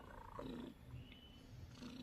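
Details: A domestic cat snoring while asleep: soft, low, rough breathing bursts repeat about every half second to second, with a faint hiss of room noise.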